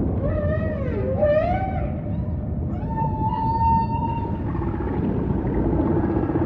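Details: Humpback whale song: arching whoops slide up and down, then a clear sustained tone swells slightly over two seconds before easing into lower moans, with deep ocean rumble throughout.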